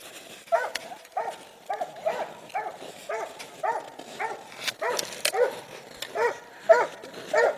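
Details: Treeing Walker Coonhound named Clover, barking repeatedly at a steady pace, each bark a short harmonic burst with a slight downward slide, fainter and somewhat distant with some background noise.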